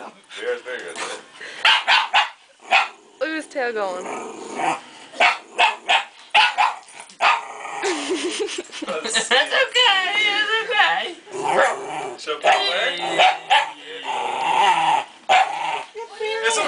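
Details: A Shiba Inu barks sharply and gives wavering, whiny yelps at a plastic bear head, making noise when it gets close, while a person talks soothingly over it.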